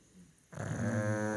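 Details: A 12-year-old pet pug sleeps and snores loudly with a low, rasping, steady drone that starts abruptly after a quiet moment.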